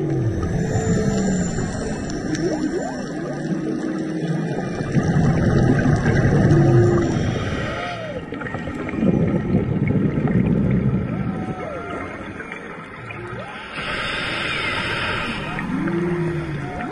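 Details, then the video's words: Underwater off Maui in March, humpback whales sing close to divers: upswept and downswept moans, short rising whoops and low groans in a varied sequence, with bubble noise from diving bursts between phrases. "Diving in Maui (Serenaded by Humpback Whales)"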